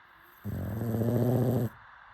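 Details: A pug asleep lets out a single buzzing, low-pitched snore of just over a second, steady and rough throughout.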